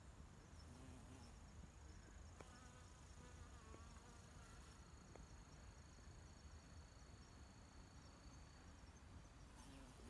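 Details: Honey bees collecting honey in a park in Japan buzz in a steady, low droning hum, with faint high thin tones above.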